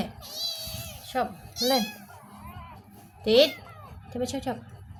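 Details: Rescued black kitten in distress giving three drawn-out, wavering meows, each rising then falling, spaced about a second apart, with people talking in Khmer throughout.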